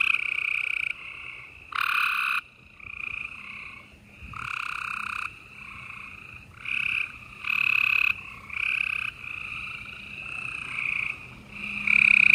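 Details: Night-time gray treefrog chorus recorded in Houston, Texas, in spring, April 28, 2020: many males trilling in overlapping bouts, loud close trills standing out every few seconds over a continuous wash of distant callers.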